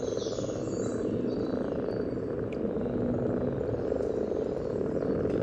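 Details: Common frog spawning gathering in Sunnersta, Uppsala, Sweden, recorded just above the water surface with a parabolic microphone: a steady, rough, low purring chorus of many frogs in courtship, with a high bird whistle near the start.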